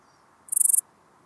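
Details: Small Gold Grasshopper at Elsbethen, Austria, 26 September 2021, gives a single short high-pitched chirp of about seven rapid pulses, lasting a third of a second, against a quiet background.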